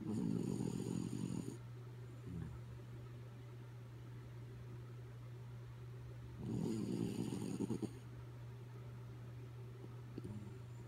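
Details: Kaya Boo, a sleeping dog, snoring indoors: two long rasping, rumbling inhalations about five seconds apart, each lasting over a second, with a faint breath between and a steady low hum underneath.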